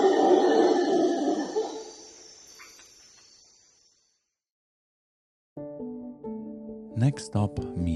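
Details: Howler monkeys give a deep, dinosaur-like rasping roar from deep in the jungle that fades away, beside the Palenque archaeological site in Mexico, followed by a burst of music.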